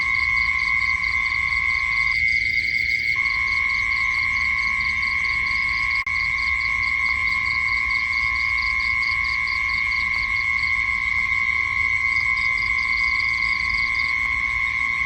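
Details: Insects at night: a continuous shrill tone and a deeper steady hum that pauses briefly near the start, overlaid by rapid pulsed chirp sequences that fade out and resume near the end.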